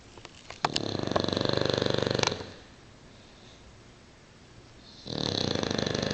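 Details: An English Bulldog snores at work in loud, rapid, rattling bursts with a quiet pause between breaths.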